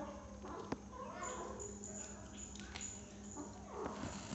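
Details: Six-week-old kitten eating cat food for the first time, giving a few soft, short mews that bend up and down, spaced irregularly, over a steady low indoor hum with a sharp click near the start.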